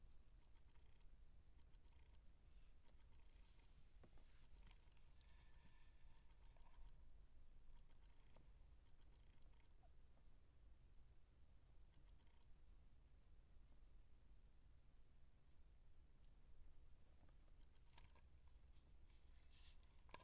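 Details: Quiet, continuous low purring from Siamese kittens at 19 days old, a deep vibrating hum held throughout, broken by occasional small taps, clicks and soft rustling close by.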